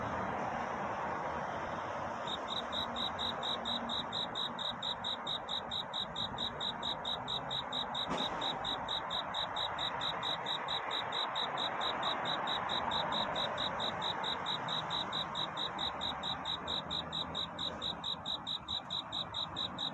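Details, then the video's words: Cricket singing at night, a courtship song seeking a mate: after about two quiet seconds, short high chirps begin and repeat steadily at just over two per second over a soft, even background hiss. "귀뚜라미 울음소리. 슬퍼 말아요 우는 것이 아니라 사랑을 찾는 노래랍니다 구애의 밤"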